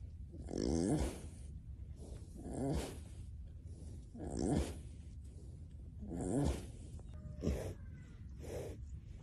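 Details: Two rescued cows sleeping and dreaming at a home sanctuary give low, breathy grunting moans, repeated about every two seconds like heavy snoring.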